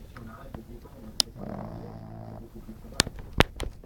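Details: Glamy, a French Bulldog, snores while napping: one drawn-out, buzzy, low rasping breath lasting about a second, with sharp clicks and small knocks before and after it.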